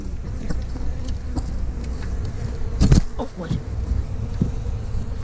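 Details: Honey bee colony being removed from inside a house wall, where the owner says it had lived about a year; a steady, low droning hum runs throughout, broken by knocks and thumps from the removal work.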